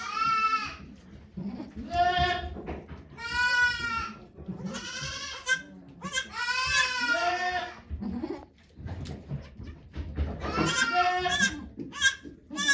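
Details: Goats bleating at Yoshigake goat farm in Japan on 3 May 2023, while the doe Okayu gives birth to two kids before watching volunteers. Repeated loud, wavering, harmonic bleats come in bursts every second or two, with low murmuring voices between them.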